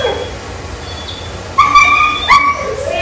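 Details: Sammie, a male 1-year-old Labrador Retriever in a leash-training program for pulling, gives a high, steady whine in two drawn-out bursts with a short break. A quiet spoken command comes first.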